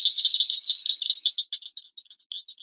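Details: Blanchard's cricket frog, a tiny fingernail-sized frog of breeding time in the hotter later summer: dry, clinking clicks like marbles knocked together in a glass jar, at first rapid and crowded, then slowing into separate ticks, with a silent background.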